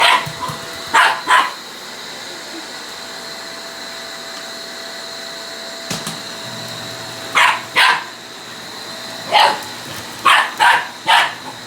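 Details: Male Shiba Inu picking a fight with a vacuum cleaner, giving short sharp barks in scattered pairs and bursts over the steady whine of the running vacuum, with long gaps between outbursts.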